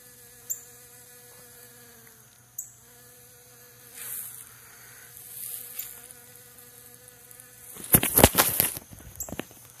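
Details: Three western honey bees collecting pollen from centipede grass give a steady, droning buzz with a low hum and stacked overtones, broken by the clatter of a dropped phone camera.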